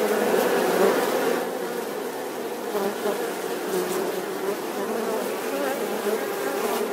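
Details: Bees buzzing in a dense, wavering drone, loudest at the start, then settling into an even hum with slight rises and falls in pitch.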